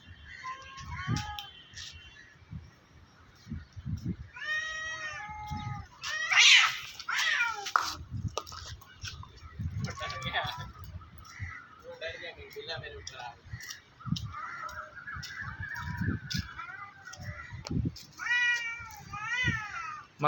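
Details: Two cats threatening each other while fighting up in a tree: a long exchange of loud meowing, with wavering, rising and falling yowls and sharper cries repeated through the recording, while people talk and shout nearby.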